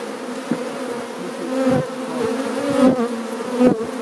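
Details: Many Apis mellifera mellifera honey bees entering and leaving their hive, a continuous layered hum whose pitch wavers slightly, with occasional swells as single bees fly past nearby.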